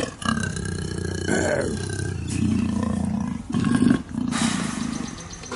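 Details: In-heat captive black leopard at Cheetah Experience pacing and roaring for a mate; a chain of harsh, deep rasping strokes, rising into a louder burst near the middle-end before continuing.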